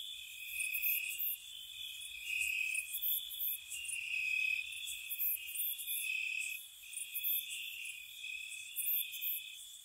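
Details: Crickets chirp steadily on a spring night by a cottage, high, thin trills layered in a continuous chorus.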